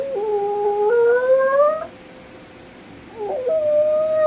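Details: Puppy howling while missing its owner, who has been gone less than five minutes: two drawn-out, tonal, slightly rising howls, the first lasting nearly two seconds, separated by a short quiet pause.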